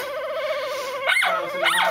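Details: A dog with a squeeze-toy-like voice holds a long, evenly wavering whine, then gives two quick squeaky upswept yelps.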